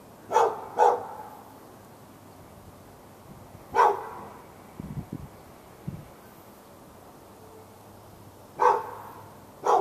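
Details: Dog kept behind a backyard fence in Raleigh, NC, barking continuously for hours at the dog next door, recorded February 15, 2012; a quick double bark, a lone bark, faint low thuds, then more barks after a long gap.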